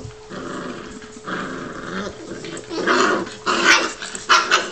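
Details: Two seven-week-old Newfoundland puppy brothers, Huck and Sawyer, wrestling in play; rough growls and snarls with short yappy bursts, getting louder and wilder toward the end, with a steady faint background hum.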